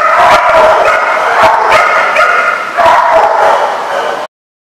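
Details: Dogs barking at a kennel, with rapid overlapping yips and barks, several animals calling at once in a dense, echoing chorus that stops abruptly.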